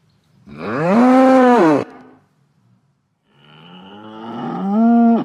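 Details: Bull, a male farm animal, giving two loud drawn-out bellows with a strong harmonic tone that rises, holds and falls, the second building slowly from a low start to a loud peak.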